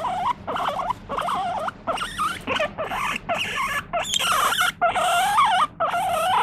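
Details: Pet guinea pig squealing for petting: repeated loud warbling wheek calls, each wavering up and down, roughly one per second, with short quiet breaks between.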